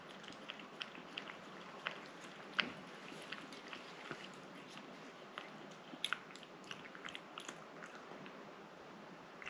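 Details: Close chewing and licking from the cat Rang-i as it eats a liquid treat: dense, irregular clicks and sticky smacks, several crisp snaps, over a low steady background hiss.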